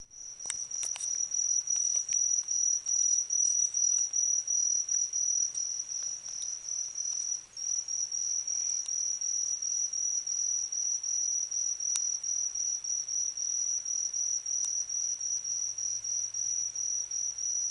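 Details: Autumn insect, a cricket-like caller, trilling in a steady high-pitched band, pulsing in rapid short bursts about two to three times per second; a few faint clicks and a brief lower hum in the background.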